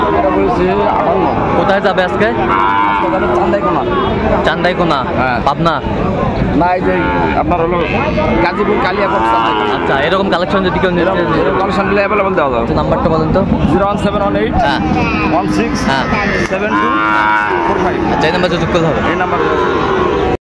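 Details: Sahiwal bull calves at Raniganj market in Dinajpur on 29 August 2024, low drawn-out moos rising through the noise, mixed with constant talking from a busy crowd of people and general market bustle.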